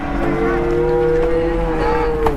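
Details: A jumbo Peranakan Ongole animal at Muntilan cattle market, Indonesia, on a cloudy morning gives one steady, sustained low moo lasting over two seconds, holding an even pitch, against a murmur of market noise.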